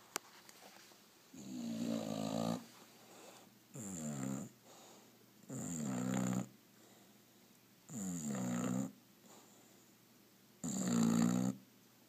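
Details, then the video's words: Otis the Bulldog, dozing lazily, produces five loud snores in twelve seconds, each a rough, rattling inhale of about one second, spaced unevenly with soft quiet gaps, close and indoors. "Sneaking Up on a Snoring "Otis the Bulldog""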